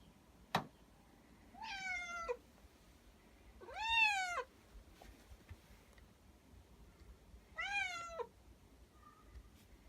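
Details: Three drawn-out, rising-then-falling meows from Nak G, a male house cat born 19 May 2017, as he waits for his owner to return from work to play. The calls come roughly two to four seconds apart, with a sharp tap at the start.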